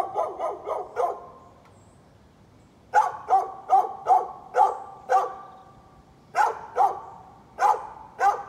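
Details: {'caption': "Repeated barking from a neighbor's dog recorded 11-13-2020: a fast string of four barks, a two-second pause, then steady runs of loud, clipped barks roughly every half second."}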